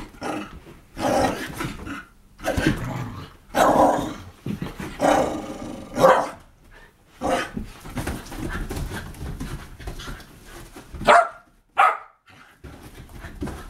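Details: Pet Whippets Bug, Radish and Cheeky in wild, crazy play: a series of loud rasping growls and play-grunts in irregular bursts, short yips near the end, scuffling between outbursts.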